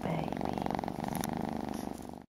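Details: Kitten that wants a bottle, which it has not had for a couple of days, purring in a steady, low, rhythmic pulsing indoors before the sound cuts off abruptly.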